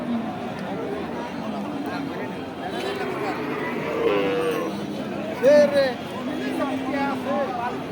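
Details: Cattle at a sale: a short, loud, tonal moo rings out midway above a busy crowd of people talking, with a few fainter lowing sounds and steady chatter throughout.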